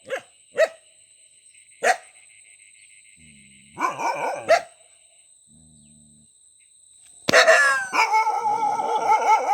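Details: Scattered single dog barks and a short rough burst, then a long loud wavering howl-like whine filling the last two seconds. A steady high electronic tone runs underneath.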